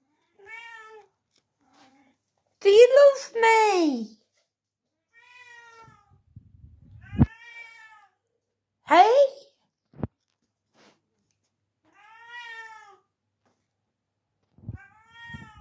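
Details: Pet cat asking for dinner indoors, a few short harmonic meows scattered between a person's speech and louder sharp sounds, with quiet gaps between calls.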